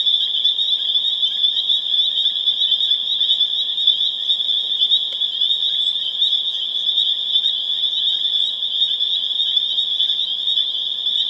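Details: Spring peeper chorus at full intensity, Harvard, Massachusetts, April 27, 2011: an unbroken high-pitched ringing wall of overlapping peeps, individual notes barely separable, a faint tap near the middle.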